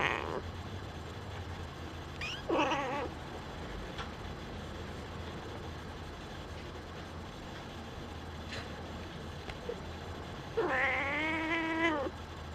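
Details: Young Singapura kitten growing up indoors and starting to peek out of its nursing bed; a brief meow early on, faint clicks and quiet room hum, then a longer wavering meow near the end.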